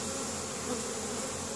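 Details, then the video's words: Spring foraging honey bees carrying pollen back to their hive, Caribou, Nova Scotia, 10 May; continuous, even buzzing drone of a crowd of bees with no other clear sounds. "Honey Bees spring foraging"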